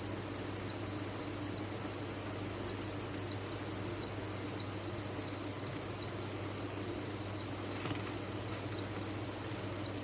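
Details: A dense, steady chorus of many crickets at a cricket farm, trilling in a continuous high-pitched shimmer.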